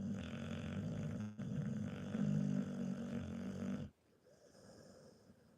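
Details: A pet Pit Bull snores loudly, a continuous rattling, low-pitched snore lasting about four seconds with a brief break, then falls to a quiet breathing hush.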